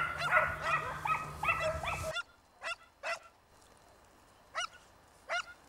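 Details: Segugio Italiano scent hounds chasing a hare in the Vignone, Italy: a loud burst of overlapping pack bays for two seconds, then it abruptly gives way to single, spaced, ringing bays from one or two dogs.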